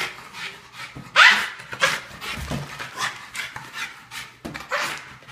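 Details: Indoors at home, a Boston Terrier playing wildly with a balloon gives sharp, high yelping barks amid panting and rustling noises.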